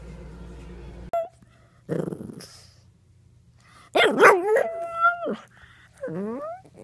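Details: Puppy from a compilation of cute dogs indoors: a sharp bark, then a burst of high whining yelps with wavering, sliding tones around four to five seconds, and a short rising whimper near the end.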